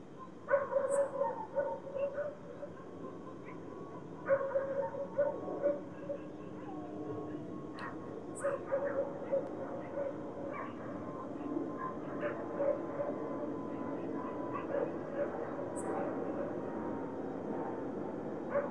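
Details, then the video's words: Several dogs barking in the distance at night in a city, with short sharp barks in clusters near the start and around four to six seconds, then scattered yaps, over a steady drone from an airplane flying above and low city hum. "Dogs barking at night with a plane flying above"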